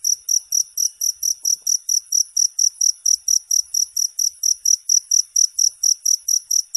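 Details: Cricket chirping in a long non-stop recording meant as a sleep aid: high, shrill pulsed chirps repeated about twice per second in a steady rhythm, with no other sounds.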